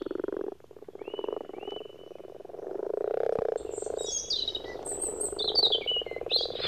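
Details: In early spring, around mid-March, frogs and toads that have come from surrounding woods to ponds to spawn make a low, rapidly pulsed croaking chorus; thin, high bird chirps and whistles join in over the second half.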